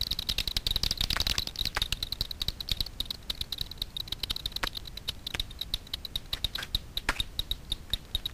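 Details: Daubenton's bats (Myotis daubentonii) forage at night for insects on the water surface over Miedwie lake, NW Poland: echolocation via frequency-division detector, rapid dry ticks and clicks in uneven bursts.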